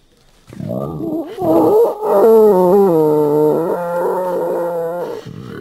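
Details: Wild boar (Sus scrofa), squeal.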